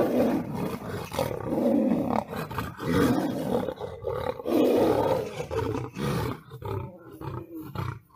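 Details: Lion in a battle with a tiger, giving loud, harsh snarling roars in overlapping bursts, with rasping growls that swell and fade over about eight seconds.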